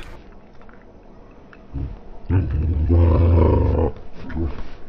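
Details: Female English Springer Spaniel making wild noises while playing with toys or when her toes are threatened, indoors in a small room; a low, rough, drawn-out growl-like roar swells in the middle, with quieter grumbles before and after.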